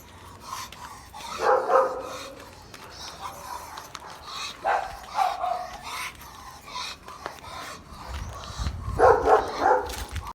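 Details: A White Swiss Shepherd on the street barks after seeing another dog: loud, harsh bark bursts in separated bouts a few seconds apart, with quieter sounds and faint voices in between.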